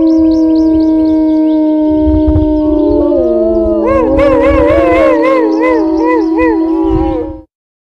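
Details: Wolves in a loud howling chorus: several sustained tones overlap, some sliding down and up, while wavering, yodel-like higher voices and short yips break in toward the end before an abrupt stop.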